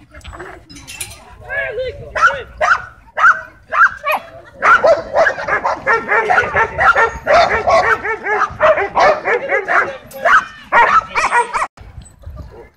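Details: Tense dogs at a dog park with some kept on leash; scattered sharp barks build into sustained dense barking and yelping, with people talking underneath.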